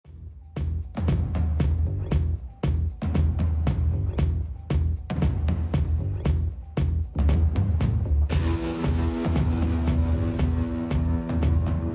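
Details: Loud drum-driven music with heavy bass beats plays throughout, with a sustained tonal passage near the end and no animal sounds.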